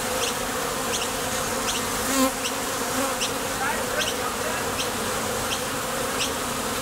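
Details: A Top Bar Hive entrance where foraging bees take off and land produces a continuous deep humming drone of many bees. Light high clicks recur every half second or so, and a brief louder swell comes near the two-second mark.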